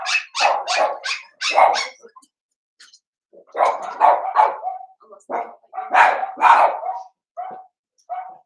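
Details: A litter of five blenheim Cavalier King Charles Spaniel puppies in a home pen. Clusters of sharp, yappy barks come in three bursts, separated by short silences, with a few softer single yelps at the end.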